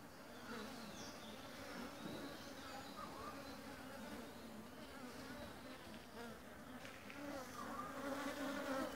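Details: Busy honey bee colony gathering pollen and nectar at a home-made feeder while building its hive for a newly raised queen; dense continuous buzzing hum, swelling slightly louder near the end.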